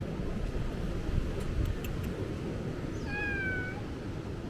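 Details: Stray cat on Ikeshima, a cat island, recorded between late 2024 and early 2025. A single short meow falls in pitch near the end, over a steady low rumble.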